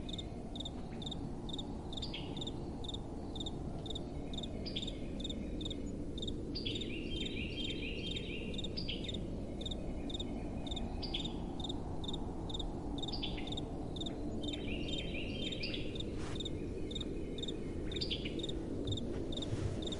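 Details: Crickets chirping at night in a steady stream of bright, evenly spaced pulses, joined by clusters of quick descending insect trills, beneath a deep, soft wind rumble.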